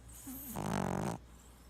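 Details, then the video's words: Sleeping Boston Terrier giving a single drawn-out snore with a low rattling buzz, preceded by a faint nasal whine, while twitching in its sleep. "Boston Terrier Freaky Snoring And Twitching Compilation"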